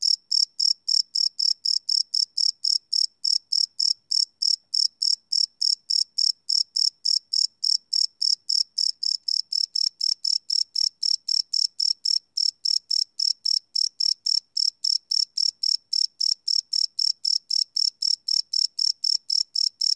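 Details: Night-time crickets captured live on a Sony PCM D100 field recorder, without loops, give twenty seconds of unbroken rapid chirping, high and shrill, each pulse evenly spaced, several per second, on a silent background.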